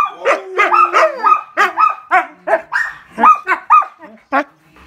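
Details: Young wolfdog pups, raised alongside a husky, howling and vocalizing: a busy run of short yips, whines and wavering howl notes with sliding pitch, several voices overlapping, one longer falling tone near the start.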